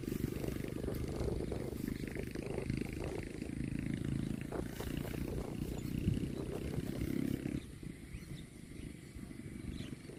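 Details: A cow eating grass gives a long, low, droning moo that holds steady for about seven seconds before breaking off, leaving a constant hiss of outdoor background noise.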